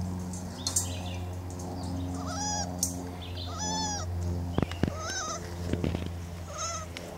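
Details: Four-week-old Weimaraner puppies, one very vocal male making a racket, whimper in thin, arched, high whines over a steady low hum; crying like this is just what they do.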